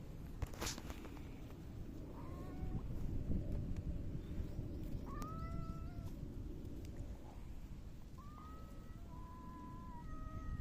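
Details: Domestic cat, a mackerel tabby, rubbing against someone while giving several short, soft meows: thin harmonic calls, some level and some gently rising, spaced a few seconds apart over a steady low rumble of background noise.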